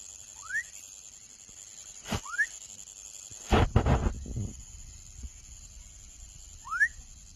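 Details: Baby frog giving short rising chirps, three spaced calls sweeping upward; loud knocks and thumps in between, with a steady high-pitched hum behind.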